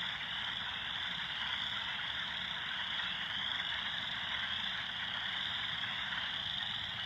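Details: Loud frogs at East Valley forming a dense, unbroken chorus, a steady high shimmering trill that holds without pause over a faint low rumble.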